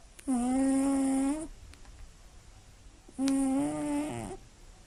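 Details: Scottish Fold cat asleep at night, snoring loudly indoors. Two long, droning, whistle-toned snores, each over a second, are separated by a quiet pause. The second snore wavers and breaks near its end.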